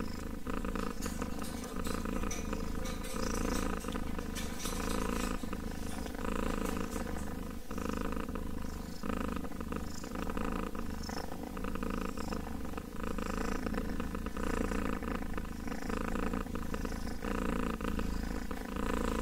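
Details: A kitten purring in a steady low rumble that runs unbroken through the whole stretch, with faint clicks and rustles above it.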